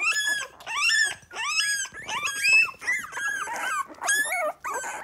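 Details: Miniature Pinscher litter at three weeks old, three standard females and two chocolate males finding their voices indoors; shrill, harmonic-rich squeals and whimpers in uneven bursts, several pups calling over one another.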